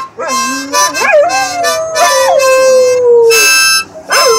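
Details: Two dogs singing, recorded 06-18-16: wavering, swooping howls that slide up and down, along with a loud harmonica playing sustained chords.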